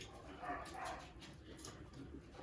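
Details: Seven-week-old puppies in a house with three dogs give a few short, whiny barks; the owner says they bark only when a stranger comes to the door or someone drives up, on a rainy, gloomy day.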